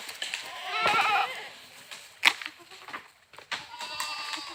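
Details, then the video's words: A goat's brief shaky bleat in the first second, then a sharp click and a fainter thin bleat toward the end. "Funny Goat Sounds"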